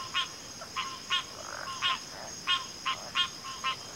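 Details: Frogs giving short, bright clicking notes in a loose rhythm, about seven in four seconds, with a soft rasp in the middle and a steady high drone behind.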